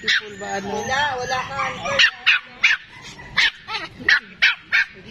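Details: Several Pomeranian dogs can't stop barking; a person speaks first, then short high yaps come roughly every third of a second.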